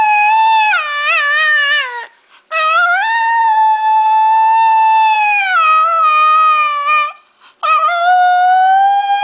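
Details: Paco, a dog, howling as if singing: long sustained tonal howls rich in overtones, gently wavering and sliding down at the ends, three drawn-out phrases split by short breaths.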